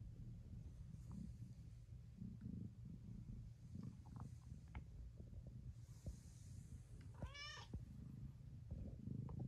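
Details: Domestic shorthair cat purring with a low, continuous rumble, broken near the end by one short, rising meow, with faint soft clicks in the background.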